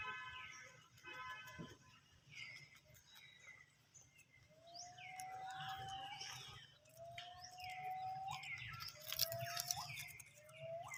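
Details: Baby monkey screaming in fright after hearing people cough: a run of rising-then-falling harmonic cries, each about a second long, repeated with short gaps and growing louder toward the end, over steady low background hum.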